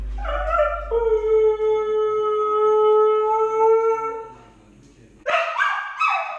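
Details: Home alone, the 10-month-old Siberian Husky puppy Lady holds one long, even, steady howl for over three seconds, falls silent, then begins another.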